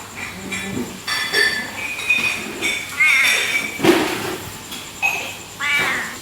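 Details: Si Meong, a very affectionate coffee-shop cat in Aceh, Indonesia, that keeps company through the night until dawn, gives short rising-falling meows, with human talk and clinking dishes in the background.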